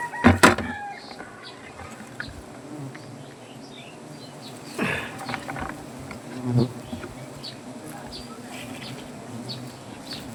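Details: Wild native honey bees swarming around a comb on a banyan tree in Gazipur, Bangladesh, during honey collection: a continuous low buzzing hum, broken by sharp knocks and scraping as the comb is cut, with a man speaking Bengali.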